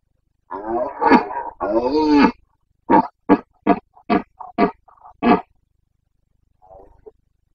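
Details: Carpathian red deer stag during the autumn rut in Bucovina, Romania, late September 2022; two long hoarse roars, followed by a run of seven short grunting barks about every half second, then a faint final groan.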